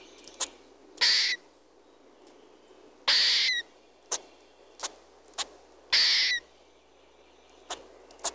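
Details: A red squirrel (Sciurus vulgaris) calls with harsh, hissing bursts spaced a few seconds apart and sharp clicks between.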